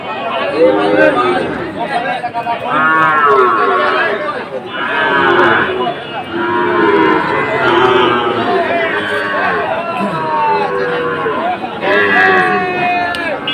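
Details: Sahiwal bull calves at Ambari cattle market (haat), Sylhet region, on 2 October, lowing repeatedly: several drawn-out, rising-then-falling moos overlapping one another amid steady crowd chatter and voices of buyers and sellers.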